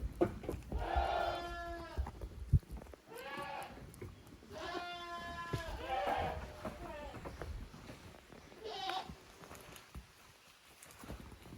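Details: Two teams of goat kids, Koharu's and Okayu's young, playing at Yoshigake handmade goat farm in Japan on 13 June 2023. A run of quavering bleats from several kids, then a lone shorter one, over low rumbling noise.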